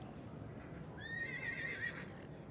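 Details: Welsh Cob mare with her foal, a single high whinny lasting about a second, wavering and held at a steady pitch before fading, over low background rumble.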